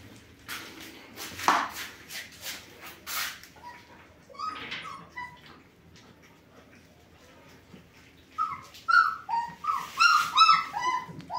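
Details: German Shepherd puppies bred from Sieger and Karolina: scratchy rustling and handling noise come first, then sparse whimpers, building into a run of insistent, wavering squeals from several pups at the end.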